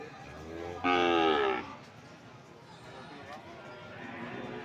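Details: At Sokaraja cattle market, Banyumas, Indonesia, a single loud moo from PO cattle lasts under a second, a rich harmonic bellow that falls slightly. It is followed by quieter market murmur and faint voices.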